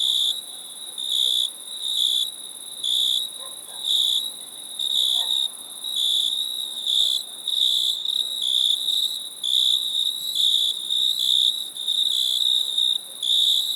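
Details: Crickets chirp in quick, even pulses, short high trilled bursts coming about once a second over a continuous shrill background drone.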